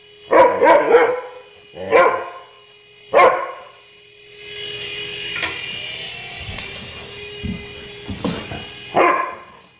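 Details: Max, a pet Siberian Husky, barks while chasing a remote-control helicopter through the house after hesitating at first. Short, sharp barks come in a quick burst, then singly, with a steady mechanical whir and hum between them.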